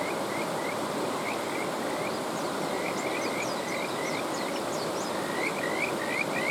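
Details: Kajika frogs calling beside a mountain stream. Several callers overlap in short, high, rising chirps, often grouped in quick runs of two to four, over the constant rush of flowing water.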